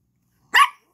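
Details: Yorkie puppy barking for her toy during play with a ball, a Lhasa Apso companion nearby: one short, sharp, high bark, abrupt onset and quick fade.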